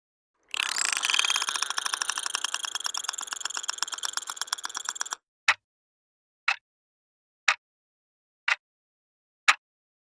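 A dolphin gives a rapid, buzzy burst of pulses with tonal overtones, then single sharp clicks.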